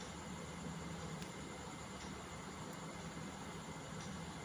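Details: Continuous hiss and mechanical rumble with no animal sound.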